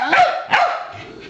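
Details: Pet Pembroke Welsh Corgi giving two short, sharp barks half a second apart before a hard cheese chew taste test, then quiet room sound.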